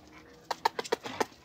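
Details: Kerry Blue or wire fox terrier indoors: a quick run of about six short, sharp yaps over a second, with Spanish-speaking voices just before and after.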